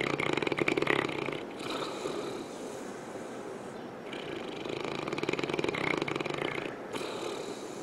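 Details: St. Bernard named Misha asleep on a couch indoors, snoring away: rough, rasping breaths that rise and fall in a steady rhythm, with short quieter gaps between snores.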